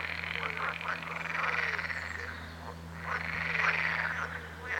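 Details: Frogs croaking together, overlapping buzzy, arching calls that swell and fade in waves, several voices at once, over a steady low hum.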